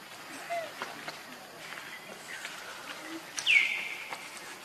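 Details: Baby monkey Leo crying from hunger, begging its mother for milk: one loud, high whine sliding downward, with faint squeaks and rustling outdoors before it.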